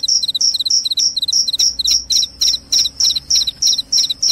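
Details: Loud cricket chirps, said to repel rats and lull one to sleep. Each high chirp comes with a short lower stutter, repeating evenly about three times per second.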